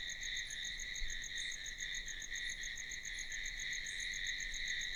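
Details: Night crickets, a steady high trilling chorus that pulses without a break.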